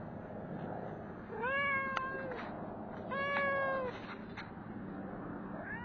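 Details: Street cat fed and given an after-meal belly rub, giving two clear, steady, mid-pitched meows about a second apart, each held level then fading, over constant background rumble and hiss.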